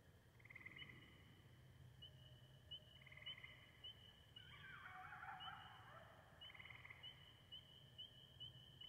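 Distant coyotes howl in long, high, wavering notes that rise into a brief yipping chorus.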